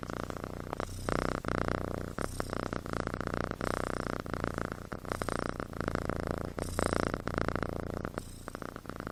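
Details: Kitten asleep and snoring like a person: dense, buzzing low rumble that swells and fades in repeated breath-like cycles, with short breaks around one, two and six-and-a-half seconds, indoors.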